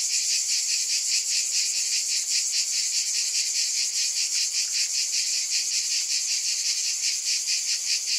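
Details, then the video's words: Unbroken cicada buzzing, a shrill high-pitched drone throbbing in rapid, slightly uneven pulses throughout, with nothing else audible above it. "Scintillating Cicadas"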